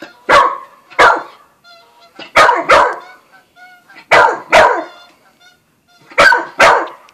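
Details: Buzz, a young Australian Shepherd and Corgi mix, barks while meeting Bread Bandit the cat; sharp barks come in pairs roughly every two seconds, with faint tonal whines between them.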